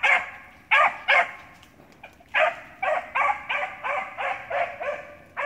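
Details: Beagle, six months old, giving loud, clear barks, first a quick pair, then after a pause a steady string of eight or so barks about half a second apart, each bark bright and somewhat hoarse.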